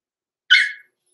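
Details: A single short, high yip from one of two six-week-old blenheim Cavalier King Charles Spaniel puppies kept overnight in an indoor puppy pen, loud and clipped, fading quickly into silence.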